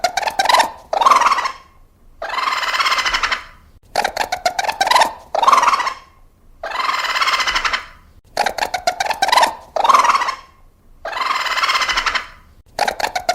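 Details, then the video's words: Raccoon vocalizing in repeated cycles: rapid clicking chatter runs into a drawn-out raspy, wavering cry, then pauses. The same sequence recurs about every four seconds over a quiet background. "Sounds of raccoon."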